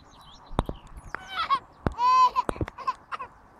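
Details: Alaskan Malamute during its second day of grooming outdoors while shedding its coat: a series of short, harmonic, wavering woo-like vocal sounds, some rising then falling, with sharp clicks and knocks between them.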